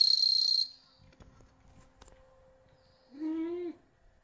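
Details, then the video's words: Captive bell crickets, bred from stock kept for several years in Hokkaido, where the species does not live wild: a bright, high ringing trill lasting about half a second, later followed by a short rising meow from a watching cat. "Bell cricket"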